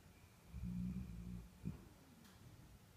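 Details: A deeply sleeping Bull Terrier snores with a low, rumbling drone that swells and fades.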